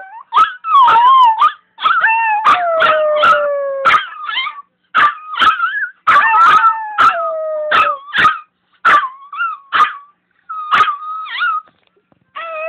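Several Chihuahuas howl together in thin, wavering, overlapping notes broken by sharp clicks and yips.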